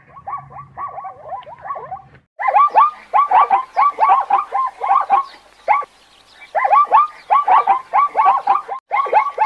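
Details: Zebra barking in bursts of rapid, harmonic, yelping notes, each a short rising-falling bark, strung together in quick series with brief pauses between bouts; a faint low hum opens the recording.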